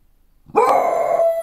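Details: A female pet beagle, one and a half years old, howls: after a brief quiet lead-in a loud, steady, flat-pitched tone with rich overtones begins abruptly and is held for about a second.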